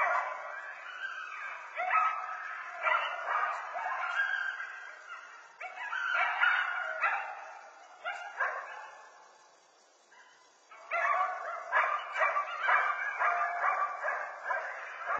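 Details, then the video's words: Coyotes calling in a busy chorus of overlapping high yips, barks and short wavering howls, bursts crowding together, a near-silent pause around ten seconds, then the yipping resumes just as densely. "coyotes howling barking coyote bark howl"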